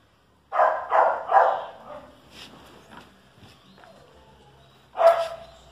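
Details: Barking between a Chihuahua and a dachshund: three rapid barks open, followed by softer muffled noises and a lull, then one final sharp bark.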